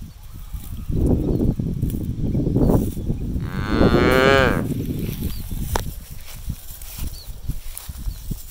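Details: Cow foraging in an empty rice field where cattle are released to graze freely; one loud harmonic moo of about a second rises mid-clip over steady low rustling and chewing-like field noise.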